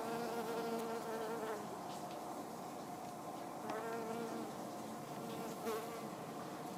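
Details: Honey bees working the pink flowers of a Hebe speciosa shrub; brief droning buzzes come and go several times as insects fly close, with a constant faint high tone and soft outdoor ambience behind.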